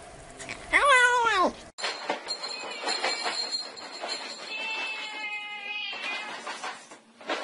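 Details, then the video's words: Kitten giving one loud, wavering, arched meow early on, followed by a long stretch of rumbling, hissing background noise with a faint steady tone. "tiếng mèo kêu meo meo mèo con kêu dễ thương"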